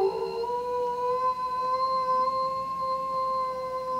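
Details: A 5-year-old male eastern timber wolf at Tokushima Zoo, Japan, howls in the afternoon in January, a long, smooth howl that rises at the start and then holds steady; a neighbouring polar bear turns toward the sound.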